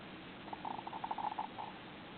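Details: Pet hamster snoring while sleeping face down with its face pushed into something: a quick train of soft, buzzy little pulses, about a dozen packed into just over a second, faint against the hush of a quiet indoor room.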